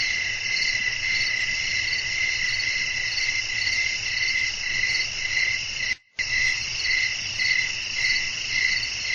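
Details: Crickets chirping at night in a relaxing nature ambience meant for sleep: steady high shrill trilling in two bands, pulsing roughly twice a second, with a brief silent break near the six-second mark and faint low rumble beneath.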